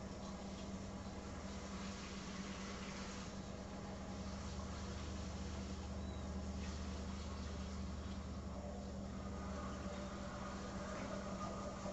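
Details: Steady low engine rumble, like an idling vehicle, with a constant hum and broadband noise throughout and no animal voices.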